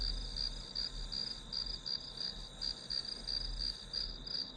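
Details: Grass insects calling through a one-hour study session: a steady high-pitched band of chirps pulsing about three times per second, with low rumbling background noise underneath.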